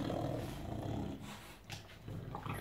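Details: English bulldog Enzo, a pet dog acting tough but scared while reacting to flowers indoors; a low, rumbling growl holds steadily for over a second, breaks off briefly, then returns in shorter rumbles.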